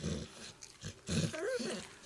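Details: Female Pit Bull in labour with her first puppy, having a hard time: a brief, tonal whine that rises and falls, then trails off. It comes amid low rustling and a few quiet human words.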